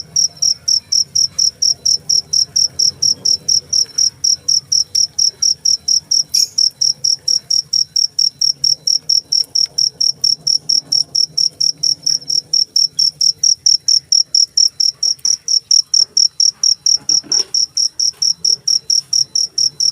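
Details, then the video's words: Steady, even cricket chirps, each a short shrill high burst, coming about two to three per second without a break over a soft low background hum. "suara jangkrik"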